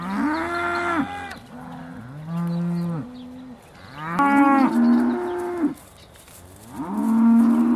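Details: Dairy cows of the Aussie Red breed at Beaulands, December 2012, just before milking: a run of overlapping, strongly harmonic moos from several animals, long and steady-pitched, with only brief gaps.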